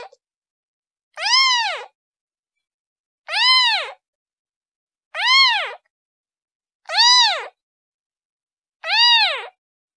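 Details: Kitten calling her mother with five evenly spaced, bright, arched meows, one about every two seconds, each rising and dropping in a smooth curve, in otherwise quiet surroundings.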